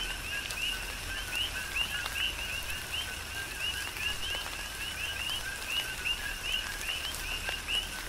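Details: Big Island, Hawaii, in tropical rain: a chorus of coqui frogs gives repeated two-note calls, a short low note followed by a rising whistled one, evenly spaced, over constant rain noise and occasional drops.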